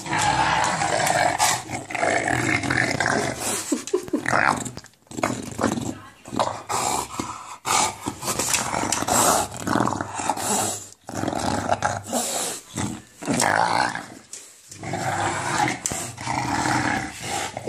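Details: English bulldog playing with a ball, making a long run of deep monster-like growls and snorting rumbles, nearly continuous with brief pauses, a woman speaking briefly in the background.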